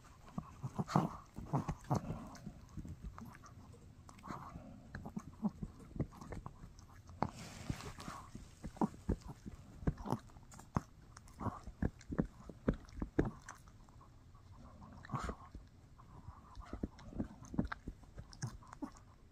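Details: Mikki, a Shih Tzu puppy, gnaws on a no-hide bully stick indoors: dense, irregular wet crunches and clicky bites come in quick clusters throughout, with soft low thumps between them.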